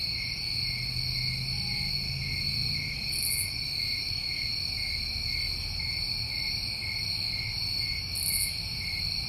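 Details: Summer crickets in New England keep up a constant, even, high-pitched trill without pauses; short sizzling high bursts appear at about three and eight seconds, with soft low rumbling underneath.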